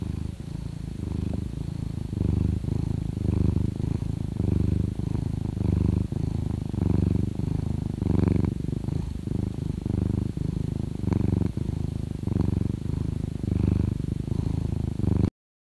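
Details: Purring domestic cat, a sound linked to contentment and sometimes pain: close, steady low rumble with rhythmic pulses roughly once a second, continuous throughout, no other sounds.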